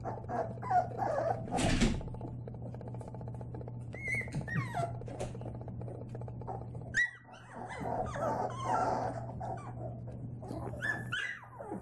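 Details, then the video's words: White Labrador Retriever puppies at play, giving scattered high whimpers, squeals and small yips amid rustling and a constant low hum, with a loud knock early on. "White Diamond Labradors Puppies"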